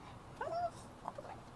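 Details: An excited 5-year-old female Boston Terrier, about to go to the pet store for toys and treats, gives a high whine, then a short yelping squeak.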